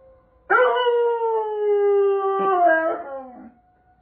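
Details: Doberman Pinscher howling during the first-Saturday monthly tornado siren test, one loud sustained howl starting abruptly, holding level for two seconds, then wavering and tailing off into the distant steady siren tone.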